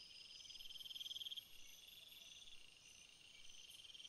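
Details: Crickets calling at night: a steady high chorus of fine pulsed trills in several overlapping bands, with one nearer insect's rapid buzzy trill loud for about a second before fading back into the continuous background hum.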